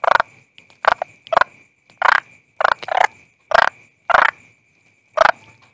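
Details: Toad calling with about ten rough, buzzy croaks in under six seconds, some in quick pairs, over a faint continuous high whine.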